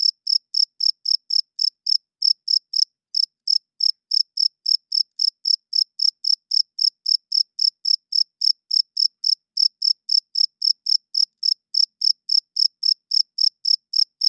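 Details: Loud cricket at night, the male's wing-made chirp for attracting females and establishing territory; rapid high pulses keep an even pace, broken only by two short gaps early on, in an otherwise silent background.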